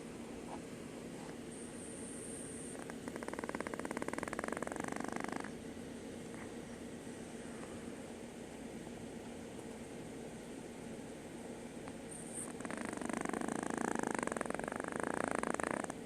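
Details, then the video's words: Chihuahua snoring, with two long, rasping, fluttering snores of about two to three seconds each, separated by a quieter stretch of soft breathing, over a steady background hiss. "snoring chihuahua"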